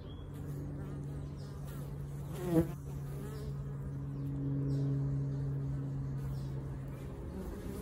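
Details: Bees at a sanctuary that rehomes colonies, a low steady droning hum with a sharp close buzz of a bee passing near halfway, then a swelling, stronger drone.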